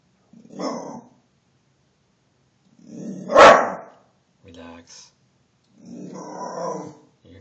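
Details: Mingus the dog barks in alarm at a deer intruding in the backyard: three rough, broadband bursts spaced a few seconds apart, the middle one loudest and sharpest, with brief softer sounds between.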